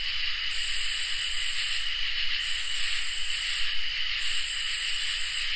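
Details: Crickets and katydids calling together on a summer night. An unbroken mid-high trill forms the bed, while rhythmic high hissing buzzes repeat about every two seconds, each cut by a short silence.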